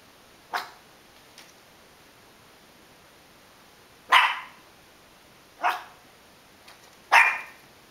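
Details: Pet dog reacting to a passing cat with short, harsh barks: one bark, a long pause of over three seconds, then three loud barks about one and a half seconds apart.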